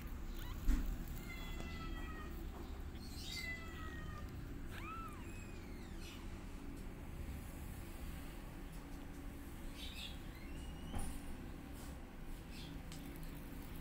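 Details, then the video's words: Mother cat teaching her kittens to walk while they meow loudly; a run of thin, high kitten mews, several arching or rising, crowded in the first half, then fewer cries over a constant low hum. "Mom Cat Teaching Her Kittens How To Walk And They're Meowing Loudly"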